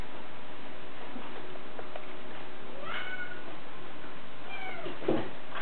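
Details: Bengal kittens running on a Kyles cat wheel indoors: two clear, drawn-out meows, one near the middle and a falling one shortly after, then a soft thump, over a steady low rumbling hum from the spinning wheel.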